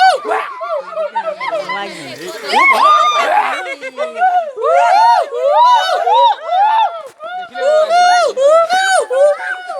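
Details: At Guwahati zoo in Assam, a gibbon gives loud, musical whoops that arc up and down in pitch, tumbling over one another in fast, overlapping bursts, over a faint murmur of people.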